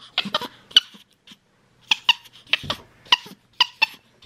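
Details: Chattering from a pet capuchin named MonkeyBoo as he communicates with his owner: bursts of high, squeaky, rasping notes in quick clusters, repeated about every half second with brief gaps.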